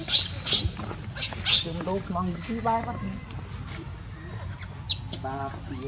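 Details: Baby monkey Leo, hungry and crying to beg its mother for milk: sharp high squeaks open, then a run of short wavering, harmonic whimpers in quick succession, fading into quieter cries over a steady low background rumble.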